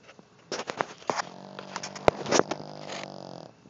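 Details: Sleeping dog snoring heavily: a rough, rattling rumble with rapid snorting pulses and a throaty drone, plus a sharp knock partway through.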